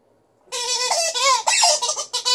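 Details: A sustained, wavering howl from Liza, a female Alaskan Malamute in a good mood during a small vocal show; the voice starts abruptly and slides up and down with strong overtones, briefly breaking before resuming.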